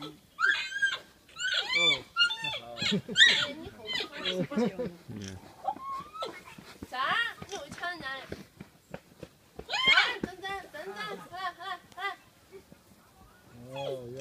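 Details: Three infant giant pandas at the Chengdu panda centre, excited while being fed biscuits, give bursts of high, wavering squeals and rising-falling cries, many overlapping in rapid irregular series, with people talking nearby.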